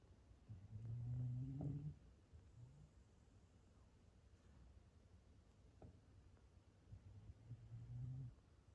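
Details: Black Shiba Inu named Gon-chan sleeping at home, 9 May 2020, snoring: a long low rumbling snore near the start, a short grunt, then a fainter drawn-out snore toward the end over a quiet room.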